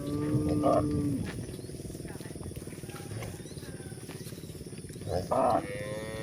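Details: Grazing village cows in a countryside pasture give a drawn-out low moo at the start and a brief moo near the end, with steady rhythmic munching of grass throughout.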